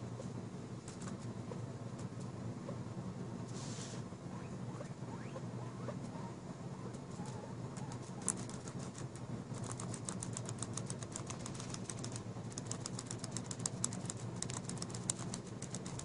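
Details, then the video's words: Mama Pig, a pet guinea pig and mother of Char The Eyeless Wonder, gives kisses with her teeth gently pressed against skin. The chompy noise comes as rapid runs of sharp, dry clicks in fast bursts over a low steady hum. "Mama Pig Gives Noisy Kisses"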